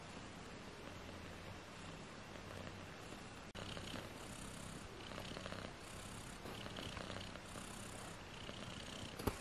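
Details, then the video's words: British Shorthair kittens, 18 days old, four in the litter, purr with a low steady hum while bursts of hissy rustling come and go, ending with a sharp tap. "British shorthair Tiny Kittens 18 days old"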